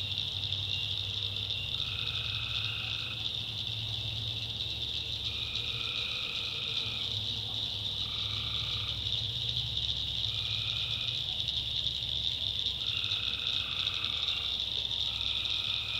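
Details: Tree frogs at night in a North Carolina backwoods swamp: a dense, unbroken high chorus, punctuated by lower trilled calls repeating roughly every two to three seconds, over a soft low rumble.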